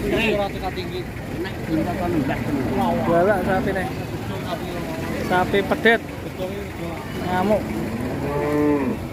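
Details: Enraged cattle unloaded from a truck, in a rampage that ends with a horn breaking off, bellow in long harmonic moos, several rising and falling, over constant crowd chatter and background clamour.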